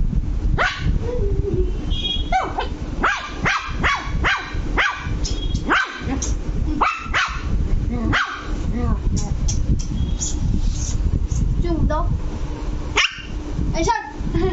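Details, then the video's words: Angry Lhasa Apso puppy Luci barking in rapid bursts, shrill yaps tumbling close together, a few whining notes between, with a person's voice faintly mixed in and a low background rumble. "Lhasa Apso puppy angry"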